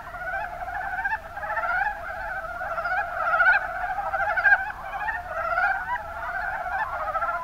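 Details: Chorus of Mountain brown frogs (Rana ornativentris) recorded in the Kuma Basin of Kumamoto, Japan. Layered, rapidly pulsed croaking runs without a break. Individual calls swell and fade irregularly within the steady mass of voices.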